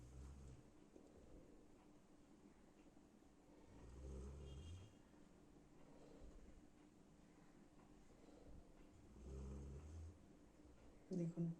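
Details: A Golden Retriever named Anna sleeps under a sheet, snoring loudly in low, rumbling breaths likened to a lion's roar, returning every few seconds.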